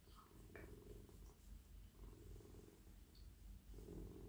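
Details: Domestic cat, male, lying in a lap and purring as it is petted; a close, deep, steady purr pulsing in quick regular cycles, with a brief rustle of hand movement.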